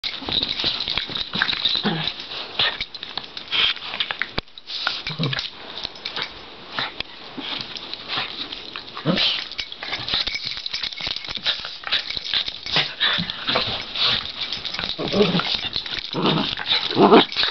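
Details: Two Cairn terriers, a brother and sister, wrestle and play-fight, with rough snorting growls, huffs and brief yips in quick, uneven bursts.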